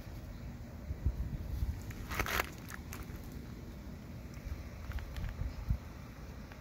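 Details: Low outdoor rumble with scattered footstep-like thumps and one short crackling burst, no animal call.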